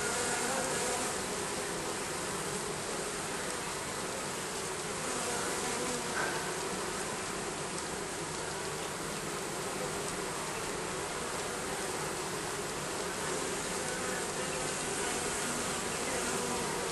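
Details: Bees under roofing, a dense continuous buzzing hum spread across a broad band, steady in loudness throughout without pauses.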